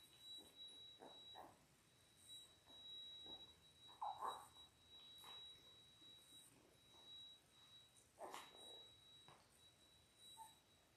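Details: Ten-day-old Labrador Retriever puppies, a litter of six born January 18, 2022, on a live puppy cam give scattered short squeaky whimpers and yelps, several in quick bursts around four and eight seconds, over a faint steady electronic whine.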